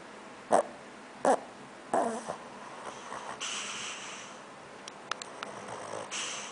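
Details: A sleeping dog snoring: three short, honking snorts about a second apart, then softer rasping breaths over a steady low hiss, with a few faint clicks near the end.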